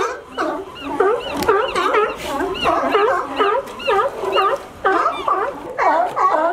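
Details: Sea lions in California, climbing a fence to reach a sunny dock they favour for resting, fill the air with a dense, overlapping chorus of hoarse, wavering barks and yelps repeated about twice a second.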